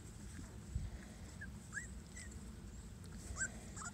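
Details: Small Munsterlander puppies from Lexa's litter, recorded May 26, 2021, while learning to go in and out of their puppy shed; several short high whimpers and squeaks rise and fall between about 1.4 and 3.6 seconds over steady low rumbling background noise.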